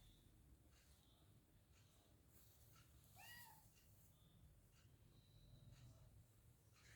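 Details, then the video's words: Hungry kitten while eating gives a single short arched meow midway through, against a steady low rumble and faint clicks. "The Kitten is Very Hungry And is Eating Animal Cute Cat Meowing"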